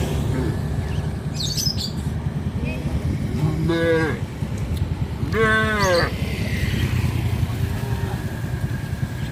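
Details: Tame cows on a traditional village farm, roaming near a highway: two loud, drawn-out harmonic moos, the first near the fourth second and a stronger one near the sixth, over steady traffic rumble and passing voices.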